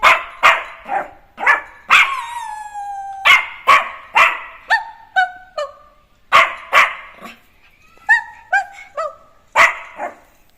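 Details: Playful Jack Russell Terrier puppy Neo, loose in a home work area instead of his cage; rapid barrage of short yappy barks, about two per second, mixed with long high whines and sliding yelps.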